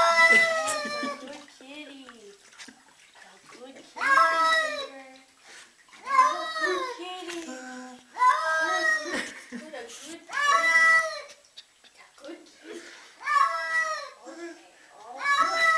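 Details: Cat freaking out indoors, letting loose long wailing yowls that slide downward in pitch, coming in bursts every couple of seconds with quieter gaps, while human voices talk between the cries.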